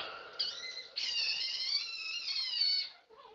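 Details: Knox, a vocal pet chinchilla, screams indoors for attention, wanting out of his cage to play after a late cleaning and playtime routine; a brief shrill cry gives way to a sustained, piercing, harmonic-rich scream lasting about two seconds, then fades.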